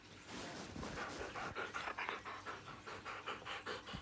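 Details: Siberian Husky at home, waking its owner by nudging with a cold nose and pestering until they get up; quick, rhythmic panting breaths, about two or three a second, with soft whimpering undertones indoors.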